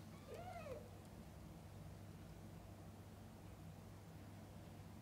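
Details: Domestic cat while a mother cat feeds and bathes her kittens: one short, arched meow near the start, then only a low steady background hum for the rest.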